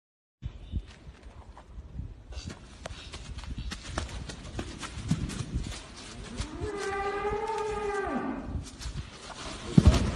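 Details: Cattle during mating, a single drawn-out moo rising then holding steady before dropping away, over rustling, thumping background noise from the animals.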